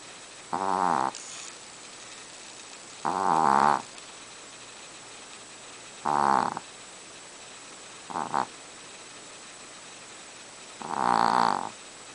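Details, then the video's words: Chihuahua snoring loudly in a deep sleep, lots of noise for a little dog: rasping, harmonic snores roughly every two to three seconds, five in all, one shorter and doubled, with quiet breaths between. "chihuahua dog snoring"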